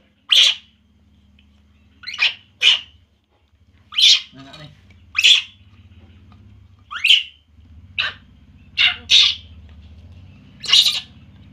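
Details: Poo, a baby monkey, cries while feeding on milk, giving about ten sharp, high-pitched squeaky yelps in uneven bursts, some paired closely together, over a steady low background hum.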